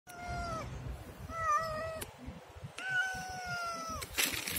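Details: Siamese cat meowing: three long, drawn-out, tonal meows, each steady then dropping slightly at the end, about one per second and a half, with a low rumbling background and a sharp noise burst at the close.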